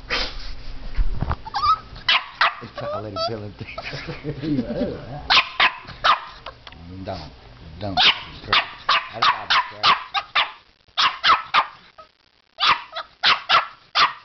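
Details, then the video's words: Puppy barking at a fake alligator head with its teddy bear; a person speaks in the first half, then rapid bursts of short barks, pausing briefly before another run. "puppy barking at alligator"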